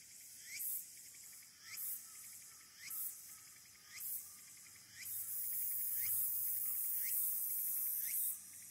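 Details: Walker's cicada singing wild on 22 August 2022 at the Aburayama Kannon observation deck, Fukuoka City, Japan, recorded by smartphone: hissing pulses repeated about once a second, then merging into a steady high buzz.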